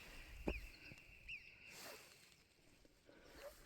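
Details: Two sharp, high whistles from an Alpine marmot ring out over steady outdoor noise on a mountain hike up the Roc Blanc in Ariège.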